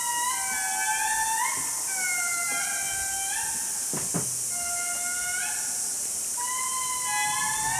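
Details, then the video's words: A troop of indris sings at Andasibe National Park, Madagascar, in a loud chorus of long, sliding wails that rise and fall in pitch. "Indri Singing - Andasibe, Madagascar"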